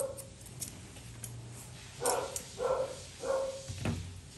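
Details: Poodle mix during a grooming session, producing three short mid-pitched yelps spaced about half a second apart, with faint clicking and a low background hum in a small room.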